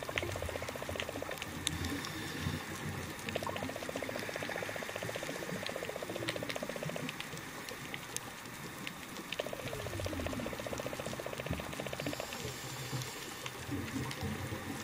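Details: Whale song recorded underwater off Cap Lahoussaye on 20 July 2013: long buzzing trains of rapid pulses, with low moans beneath a steady hiss.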